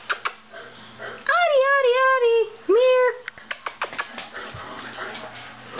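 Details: A new male puppy gives two drawn-out, high whining cries, each wavering and falling slightly, about a second long, while a woman calls to him and coos; soft rustling and handling noises follow.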